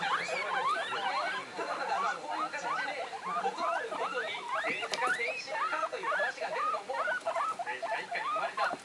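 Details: Three excited household guinea pigs, two of them one-month-old babies, squeaking in high tones: regular looping chirps rising and dipping, rhythmic and nearly unbroken, with a soft television sound in the room.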